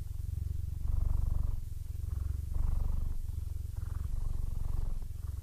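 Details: A 15-year-old male Siamese cat, almost blind but happy, purrs steadily, a low rumbling buzz that swells with each breath, a sign of contentment.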